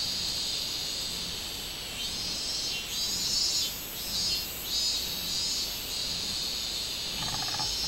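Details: Robust cicada singing on 24 July 2016. A constant high metallic drone grows stronger in mid-stretch with sharper rhythmic pulses, then settles back. Faint chirps are heard near the end.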